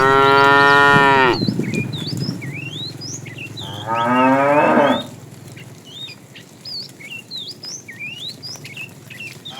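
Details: ['Two moos from tame cows roaming the road looking for food: a long, steady one first, then a shorter, wavering one a few seconds later, with busy bird chirping throughout.']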